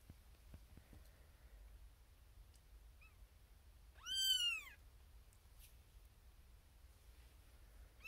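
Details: Female kitten Xena Thumbalina, firstborn of a litter born April 1st, 2021, in a birthing box with six littermates, wanting attention: mostly quiet room, then one short arched meow midway, with faint rustles.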